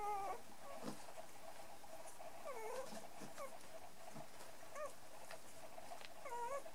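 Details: Playful three-and-a-half-week-old dwarf-toy poodle puppies, brown and one black, give scattered thin, high whimpers with short falling and wavering squeaks every second or two over a steady low hum.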